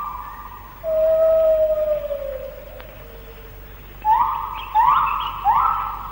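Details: White-handed gibbon morning song in the Malaysian rainforest, recorded between the late 1950s and early 1960s: a long pure whistled note sliding gently downward, a pause, then three loud rising whoops, each sweeping up to a sustained tone.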